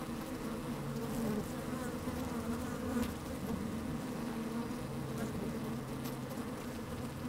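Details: Steady hum of honey bees moving through an opened hive, recorded with a microphone lowered into it on a sunny day with some wind; a thick, even drone with a few brief brighter buzzes rising above it.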